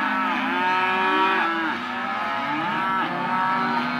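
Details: Hereford and Careta calves, male and female, penned together as sale lot 9, mooing over one another in a dense, continuous chorus of harmonic bellows, several rising then falling in pitch, with no quiet moments.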